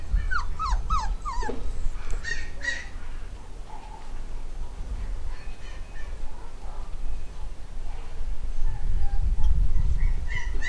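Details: Black and white Cockapoo puppies, eight weeks old, from a new home-bred litter in the UK. Sharp whimpering yips slide downward in a quick run at the start, then quieter scattered squeaks follow over a low rumbling background.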